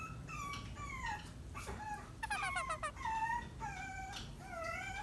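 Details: Maltipoo puppy's attention-seeking whine: drawn-out high whistled cries bending downward, broken by a quick burst of stuttering yips midway, then more long falling and wavering whines.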